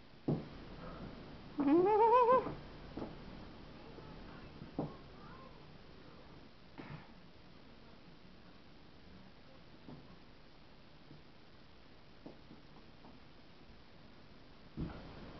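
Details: Two pet cats, Shilo and Sasha, play-fighting indoors on catnip; one gives a single rising, whiny meow early on, followed by quiet rustling and faint thumps.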